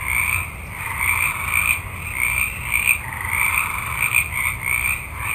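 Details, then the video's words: Night forest chorus of many frogs, with overlapping raspy croaks in two bands that pulse in uneven bursts roughly once a second, under a constant shrill high background tone. "Forest Ambiance With Frogs Ext Night, Multitude Of Frogs"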